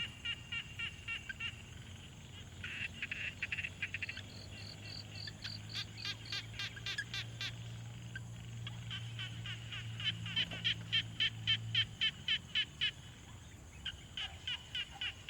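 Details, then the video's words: Pond frog chorus taken with a Tascam Portacapture X6: overlapping trains of quick, clicky notes, a thinner higher-pitched series joining mid-way, a low steady hum underneath, and a louder, clearer run of pulses toward the end. "Frog Sounds| #001 |Quiet Pond Nature Ambience"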